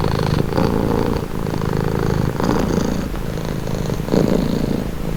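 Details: Cat's purr heard up close: a deep, buzzy rumble pulsing with each inhale and exhale, roughly one cycle per second, steady and unbroken.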